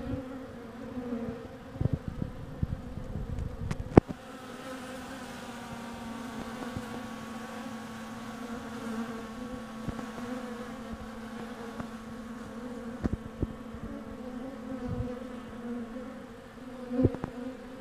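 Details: Honey bees at the hive entrance in winter, where an undertaker worker clears a dead bee from the landing board: a steady low droning hum throughout, with scattered sharp clicks and taps.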